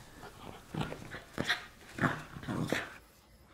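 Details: Miniature Schnauzer in tug-of-war play indoors, March 2016: a run of short, high, nasal whining squeaks, about five of them spaced roughly half a second apart, with low rumbles underneath.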